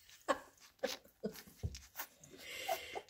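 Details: Indoors, Labrador Retriever puppies are fed minced beef. Brief squeaky whimpers come about every half second, followed by a longer breathy whine, with clicks of eating in a small room.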